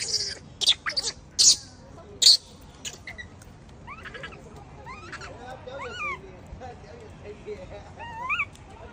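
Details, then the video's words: A baby macaque in the wild, bullied by its mother, gives several loud harsh screams early on, then a series of softer rising and falling tonal whimpers, each a short wavering wail repeated roughly every second. "The baby monkey was bullied by the mother monkey and cried loudly"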